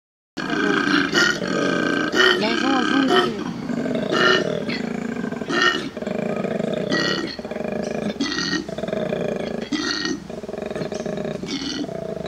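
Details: Koala in Australia giving a loud, rough, grunting bellow: harsh pulsed roars with rich harmonics, repeated roughly every second over twelve seconds, with short inhaled snorting gaps between bursts.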